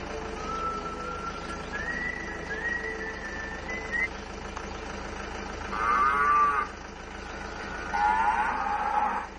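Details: Cattle mooing in response to mooing played to them from a speaker: several drawn-out, harmonic-rich moos, with a thin rising tonal line early on and two louder, fuller moos near the end, over a steady low background hum.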